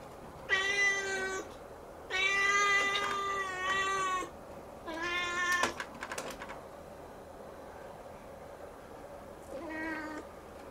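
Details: Siamese kitten calling persistently while watching the ceiling; four meows, the second a long sustained wail of two seconds, the others shorter, with a few light taps and a quieter final meow after a pause.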